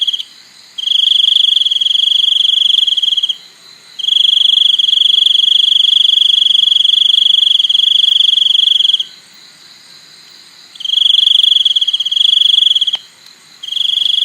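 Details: Crickets producing a bright, sustained high-pitched trill, with one stretch lasting about five seconds and shorter ones around it, broken by pauses including one quiet gap of nearly two seconds.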